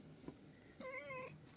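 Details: Domestic cat giving a single clear, steady, tonal meow about half a second long, preceded by a soft click, against quiet background hum.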